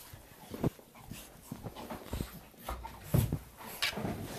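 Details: Very happy Bull Terrier arriving at home, giving soft breathy pants, snuffles and short faint whimpers in scattered bursts, with a few louder puffs near the start and middle, indoors.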